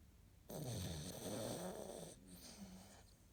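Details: Domestic cat asleep and snoring, 11 April 2017: one drawn-out, grating snore of well over a second with a deep rumbling core, followed by a softer wheezy breath out.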